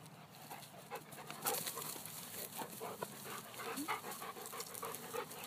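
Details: Weimaraners named Fenway and Eban at a park, chasing and leaping for balls; irregular breathy dog panting with scattered soft noises and a steady outdoor hiss.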